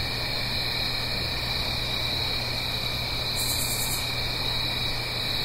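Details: Blue Ridge Mountains crickets on an autumn night near a stream: a dense, unchanging high trill chorus, one short sharp buzz partway through, set against soft rushing water and a low electrical-sounding hum.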